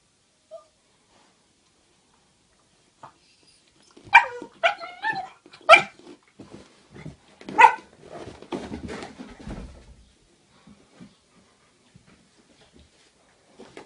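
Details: Amor and Queenie, two pet dogs, quarrel over a stolen bone, one pestering the other: a flurry of sharp high barks and yips around the middle, then scattered softer growls and clicks.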